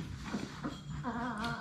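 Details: Labrador Retriever puppies from a litter of six playing in an indoor puppy play room; after soft scuffling, a short tonal whine with stacked harmonics rises and holds for about half a second over a steady low hum.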